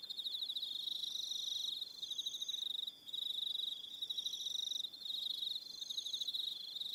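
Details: Crickets on Aroha Island, New Zealand, in the evening: loud continuous high trilling broken by two short pauses, with higher buzzy phrases roughly every second over the steady chorus.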